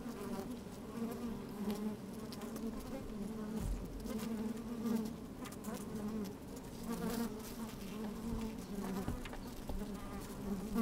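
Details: Honey bees working inside an open hive on a fine, sunny day, microphone slid down among them: a steady low drone with bands near 200 and 400, occasional louder buzzes, faint wind bumps.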